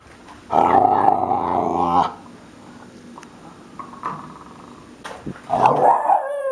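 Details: Kelpie puppy making odd vocal sounds: a rough, growly burst lasting about a second and a half, a quiet pause with faint noises, then another short raspy growling burst at the end.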